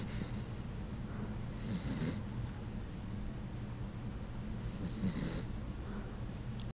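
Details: Penny, a sleeping Puggle dog, snores in a human-like way: a steady low rumbling drone runs throughout, broken by two louder, breathy snorting inhalations near two and five seconds.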